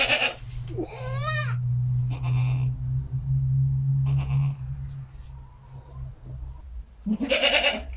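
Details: Domestic goat on a home farm where a first-time mother has just given birth to a male kid; a quavering, wavering bleat near the start and another short bleat at the end, with a steady low hum in between.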